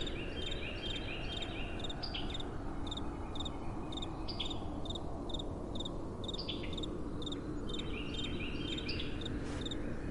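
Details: Night crickets in soft wind, their high chirps repeating in a quick regular pulse, some overlapping, partly buried under a heavy, low, constant rush of wind.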